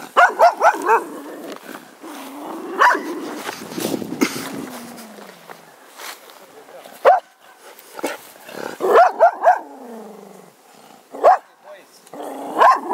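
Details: Busy stretch of grumpy Cocker Spaniel barking: rapid bursts at the start, a low grumbling whine in between, then further sharp barks in twos and threes later on.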